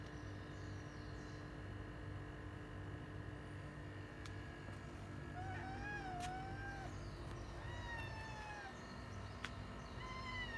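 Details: Domestic cat cries near Yongo (Kuro), a retired boss cat in end-of-life care after long ruling a residential area. A 'fugyaaa' screech is heard as several drawn-out, falling wails in the second half over a steady low hum.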